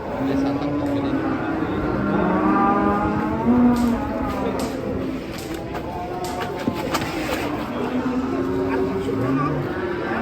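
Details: Cow wearing a mask, rampaging as it leaves a truck, gives repeated deep moos, some wavering and stretched. Scattered clicks and knocks, and people's voices, are heard around it.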